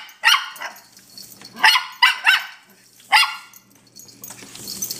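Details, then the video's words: Toy Fox Terrier puppies Mulder and Scully, mostly Mulder, attacking a broom and dustpan as the enemy while protecting their house indoors: five sharp, high yapping barks in quick bursts over three and a half seconds, then near quiet. "Attack of the Broom and Dustpan-The X-pups protecting their house"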